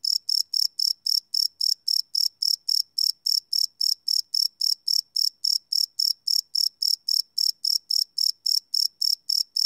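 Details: Night chorus of crickets captured live with a field recorder, a bright high chirp pulsing evenly roughly four times per second without pause, clean and unbroken, no other sounds.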